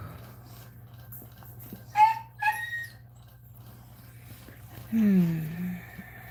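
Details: Female Cane Corso crying indoors while another female, Cashmere, is in labour: two short high whines in quick succession, then a lower drawn-out moaning whine, over a steady low hum.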